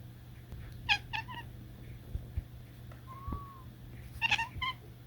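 A domestic cat gives two quick bursts of stuttering, bright chirps, with a brief soft arching note between them.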